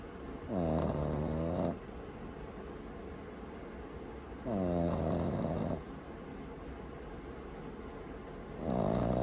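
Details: Loud snoring from Maru, a sleeping Boston Terrier puppy kept as a family pet; rough buzzing snores of about a second and a half recur roughly every four seconds, with quiet room tone between them.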